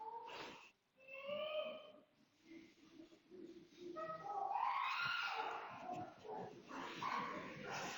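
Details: Chimpanzee vocalizations, first described as expressing curiosity, then excitement: clear tonal hoots and rising squeals that build in excitement.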